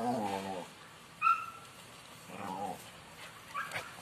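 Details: American Pit Bull Terrier in Sri Lanka whining in drawn-out, wavering harmonic tones, two long whimpers a couple of seconds apart, with a thin high squeak between them and a short higher whine at the end.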